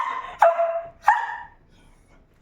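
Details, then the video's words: Early-morning barking from a dog that likes to make noise, waiting by its food place: two strong barks roughly 0.6 seconds apart, each trailing off into a falling whine, then quiet. "Mahilig mag ingay na aso"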